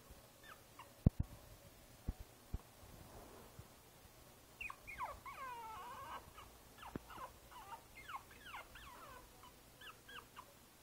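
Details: Princess Izzy, a five-week-old Boston Terrier puppy in a basket on 12/4/2011, is quiet at first amid sharp knocks, then bursts into a long, busy series of wavering, high whines and short cries.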